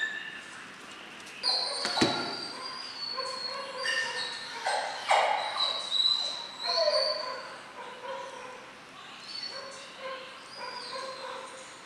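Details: Twelve-week-old German Shorthaired Pointer puppies Memphis and Patty, in a Mabe Kennels training program, practising backing point; short harmonic yips and barks come in an irregular cluster midway, with thin high whistled tones running through.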